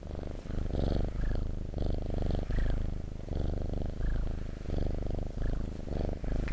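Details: Close-up purr of a house cat, a low throbbing rumble rising and falling with each breath about every second, with faint rustling above.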